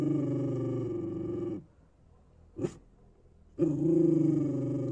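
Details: Street dog growling in long low rumbling bursts, one lasting over a second and a half, broken by a short pause with a brief sharp noise before the growl resumes.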